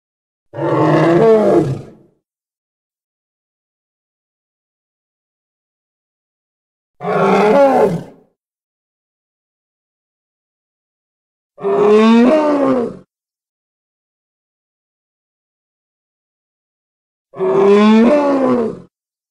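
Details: Hippopotamus from Congo in an edited sequence: four separate harsh, harmonic roaring calls, each lasting one to two seconds with pitch sweeping up and down, spaced roughly every five seconds by silence.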